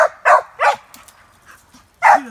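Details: Cur pup in squirrel training barking at a caged squirrel: three quick loud barks, a pause with faint rustling, then one more bark ending in a short rising whine.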